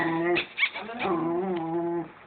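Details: Pet dog squabbling over food; a sustained, low, droning growl-whine with strong harmonics holds for over a second after a few short yips.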